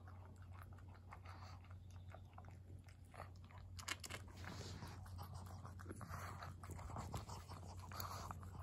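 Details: Senior pug Maria eating treats, recorded 14 August 2021: irregular soft crunching and chewing bites, roughly one or two per second, over a steady low hum indoors.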